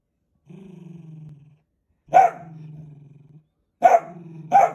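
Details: Dachshund, a pet sausage dog, alternating long low rumbling growls with sudden sharp barks; a growl first, then a bark trailing into another growl, then two barks close together.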